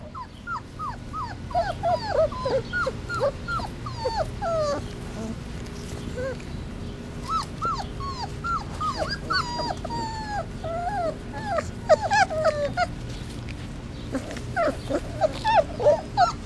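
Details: Three-week-old Basset Hound puppies on their first time outdoors, all crying for their mother: many overlapping high, wavering whimpers and yelps, falling and rising in pitch, tumbling over each other in rapid bursts with short lulls.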